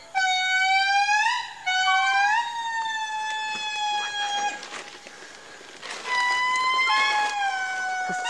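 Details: In Madagascar, an Indri group gives its long, eerie, siren-like wailing song, with notes that slide and hold; heard for miles, it announces the group's claim to its forest territory, and neighbouring groups answer.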